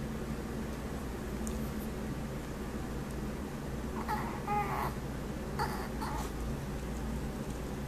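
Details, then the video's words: Sammy, a Chihuahua, indoors on a rainy day making funny noises: a few short, high, whiny squeaks and squeals clustered midway, over a steady low hum of a fan and rain. "Sammy the Chihuahua makes funny noises"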